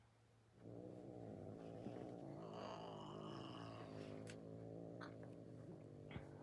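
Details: Domestic cat hissing at the person filming: a steady, low, droning growl holds for about six seconds under breathy, hissing noise, with a few sharp clicks near the end.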